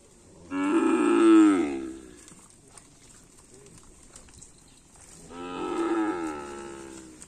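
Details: Training karapan sapi race bulls on the Asemanis field, lowing twice: two long, strong, harmonic moos, each about one and a half seconds, separated by roughly three seconds of quiet field noise.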